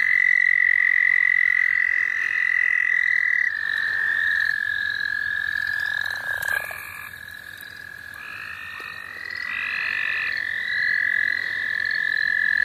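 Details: Chorus of frogs at St. Olaf College Natural Lands, heard while frogs are being caught: one long, even, high trill holds across the whole stretch, joined by short repeated buzzy notes and a brief rustle midway.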